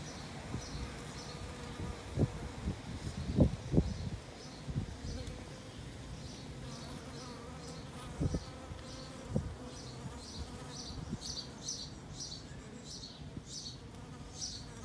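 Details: Bees drinking water at an apiary, sticks left in the water for them: a low, rough buzzing drone broken by several sharp knocks, with rapid high chirps repeating through the background.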